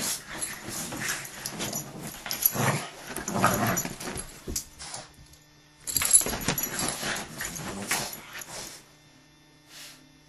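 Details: Dogs scuffling in a fight, with rough growling and snarling bursts in the first half and again from about six to nine seconds, broken by a quiet pause and ending almost silent.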